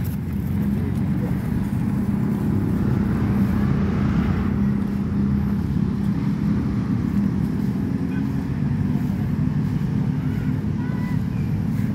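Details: Loud outdoor road traffic with running car engines and some speech, and no animal voice.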